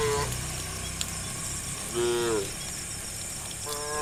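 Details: Tame cows in a herd walking the road to green rice fields in the morning; a few short, tonal moos come at intervals, the longest lasting about half a second, over steady low rumbling background noise.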